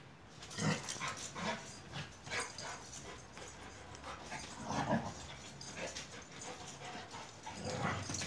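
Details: Two Akbaş shepherd dogs at play in Turkey, giving brief yips and soft grunts between rustling, scuffling sounds, with bursts roughly every second.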